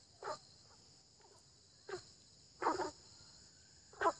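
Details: Early-spring frog croaks: four brief, rasping bursts, one a doubled croak, spaced irregularly over four seconds, set against a constant shrill insect hum.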